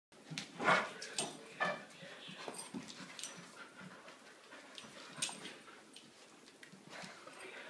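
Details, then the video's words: Two puppies playing indoors just after waking: short whimpers and yelps break out in scattered bursts among scuffling and rustling, with a louder whine near the start and a soft spoken voice afterward. "Puppy play"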